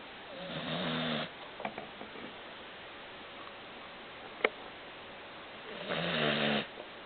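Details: A pet dog named Baron snores while deeply asleep, making a ground-shaking rumble. One rasping harmonic snore comes at the start and another about five seconds later, with soft ticks and one sharp click in between.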